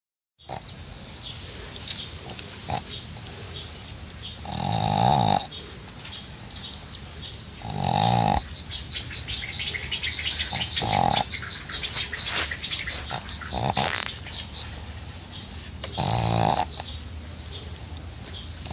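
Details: Pug asleep in a pool on a summer day, snoring: broad rasping snores at about 5, 8, 11 and 16.5 seconds, each roughly half a second long, over steady background hiss.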